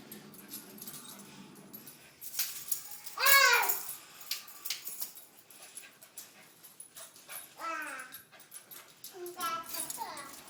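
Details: Siberian Husky puppies giving several drawn-out, falling whines in the second half, each sliding downward with bright harmonics, after an earlier loud voice-like burst; human talking and light rattling run underneath.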